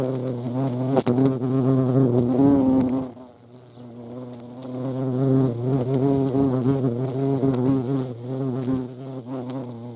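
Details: European hornet (Vespa crabro) at a feeding place: deep buzzing drone with shifting, wavy overtones, fading to a quiet gap after three seconds, then building back to a sustained hum.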